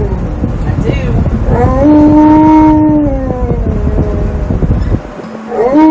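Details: Alaskan Malamute Tonka, strapped in by a seatbelt during a car ride, protests with a long, loud, drawn-out howl that wavers and slowly falls, then starts another rising complaint; steady car rumble throughout.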